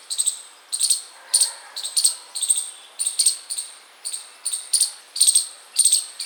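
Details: A chipmunk outside a house chirps constantly, sharp, thin, very high chips in a regular run of two or three a second, with no other sounds behind them.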